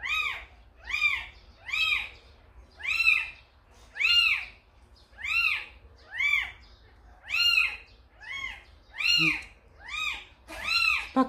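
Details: Kitten carried to a house by Samsaek, a tricolor mother cat: high, arched meows that rise then fall, repeated steadily about once a second, with quiet low hum beneath.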